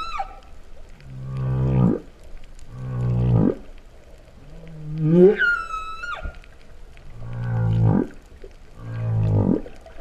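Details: Mooing humpback whale song underwater in Vava'u, Kingdom of Tonga, September 2015: repeated low pulsed groans rising in pitch every couple of seconds, with one swooping moan that leaps into a brief high whistle.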